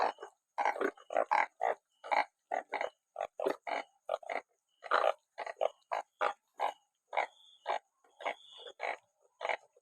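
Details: A crowd of banded bullfrogs after rain, numerous enough to fill sacks; a rapid, overlapping series of short nasal honks forms a dense, uneven chorus, with a steady high whine running through it.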